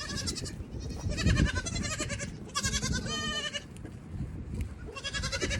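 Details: Evening on a farm with goat kids running wild while the mother goats eat their grain; several clear, wavering bleats, some overlapping, sound above constant low thuds and scuffling of hooves.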